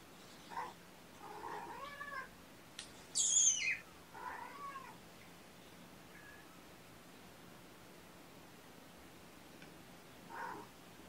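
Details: Sleepy kittens waking up indoors while a person sits with them. Several soft, short meows are spaced out over quiet room noise, with one sharp, high squeak partway through.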